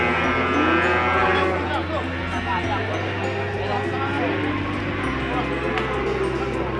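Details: Peranakan Ongole (PO) feeder cattle being unloaded for sale and looked over by prospective buyers; several overlapping arched, harmonic moos rise and fall across the pen over steady background music.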